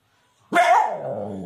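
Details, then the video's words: Female Siberian Husky puppy lets out one loud yelping cry, a sharp onset that rises briefly then slides down into a sustained, slightly falling whine of about one second; no other sounds. "Husky dog female puppies"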